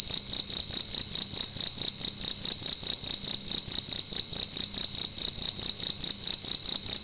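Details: A single cricket sounding loudly in a room during the night: sharp, ringing, very high chirps pulsed in rapid regular groups, repeating without pause, faint low rumble beneath.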